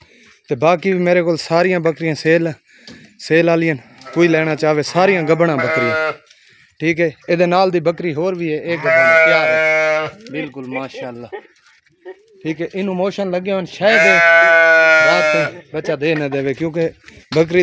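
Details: Pregnant Dera Din Panah goat offered for sale in Pakistan, recorded 8 August 2023: two long, strained, wavering bleats, each lasting about one to one and a half seconds, amid steady men's talk in Urdu and background music.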